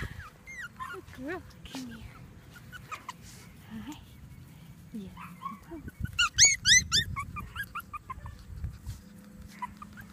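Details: Female Pomeranian playing outside with her sister and brother; thin high whines and squeaky yelps come in short scattered runs, with a burst of rapid rising squeals in the middle, over faint background noise.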